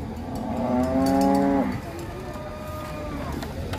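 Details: Large cow descending from a truck gives one rich, harmonic moo, swelling then cut off after about a second, followed by quieter background noise and faint music.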